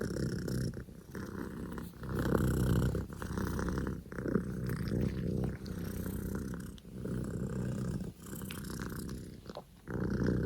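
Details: Loud engine-like purring from Poko J, a male Scottish Fold kitten born 15 October 2019; deep continuous rumble swelling and fading with each breath, roughly every one to two seconds, with a few short gaps.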